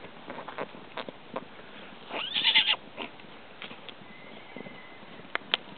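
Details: Four-week-old Colonial Spanish type colt squealing in fear while mares and fillies gallop around him on the 4th of July, a short shrill squeal amid scattered thudding hoofbeats, with a faint whinny-like tone later.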